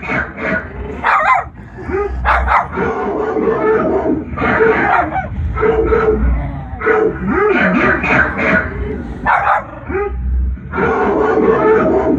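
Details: A pet dog barking indoors in reaction to dogs barking on a television; short sharp barks come in bursts every second or two, mixed with television voices and background sound.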